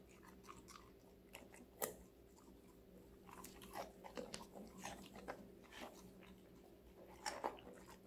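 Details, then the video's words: Connie, a female Golden Retriever puppy of five months, crunches vegetables indoors; scattered crisp bites and softer chewing, one loud snap near the start and another near the end, over faint hum. "강아지 각종야채 먹방 l 사각사각사운드 🌿Various vegetavles🌿REAL SOUND"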